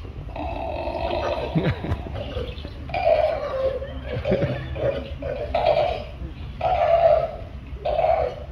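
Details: A walrus performing in a show at Antalya Delphinarium, Turkey, gives a run of low, gurgling, belch-like groans, one roughly every second.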